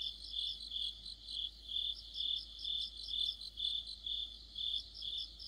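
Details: Crickets and other insects chorus in deep autumn, their high chirps pulsing a little less evenly as several singers overlap and drift in and out of step.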